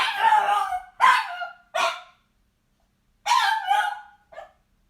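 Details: A frustrated dog giving loud, harsh barks that drop into a whine: three barks close together, a pause, then two more and a short final yelp, in a quiet room.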